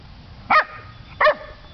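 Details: Pet dog barking indoors: two short, sharp barks about 0.7 seconds apart, each a bright harmonic burst, with quiet room hum between.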